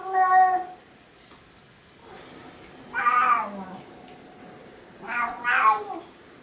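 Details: Two Siamese cats "sing" after a raw-food meal, giving loud, drawn-out yowling meows, three in a row with pauses between.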